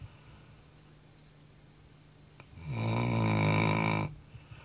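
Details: Labrador Retriever pet dog snoring indoors at night, worn out after lots of running; a single loud, rasping snore of about a second and a half rises out of quiet room hush, then fades back to stillness.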